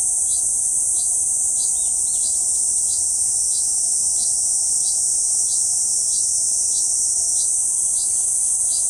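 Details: Continuous high, sizzling buzz of a Kuroiwa cicada singing on a banyan tree trunk in central Okinawa Island in June 2023, over a background of faint, quick chirps repeated about four times a second.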